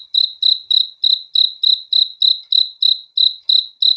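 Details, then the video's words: Cricket chirping at night, a continuous run of piercing high chirps about three per second, each with a sharp onset and quick decay, with no competing sounds. "THE SOUND OF CRICKETS FOR RELAXATION TO SLEEP AT NIGHT"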